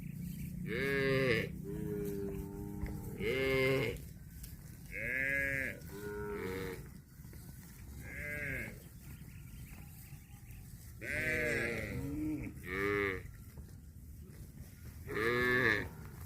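Cattle moo repeatedly in drawn-out, nasal bellows, bulls calling as they compete over a female.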